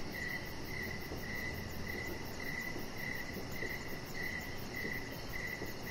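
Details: In the evening outdoors near a deck, crickets chirp in clear short bursts about every half second, layered over a fast high trill and low constant background noise.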